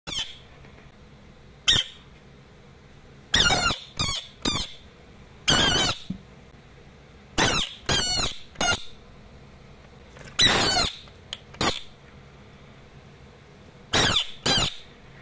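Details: Pacman frog screaming: harsh, broadband, hissing shrieks in short bursts of about half a second, often in pairs or triplets, separated by quiet gaps of one to two seconds, with faint background hum.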